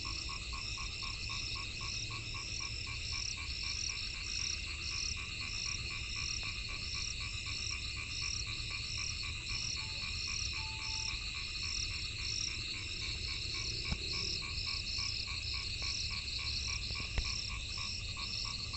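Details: A frog chorus during the rainy season, with a dense run of quick, repeated croaks at one steady pitch that thins and becomes irregular later, over a constant high, ringing insect hum.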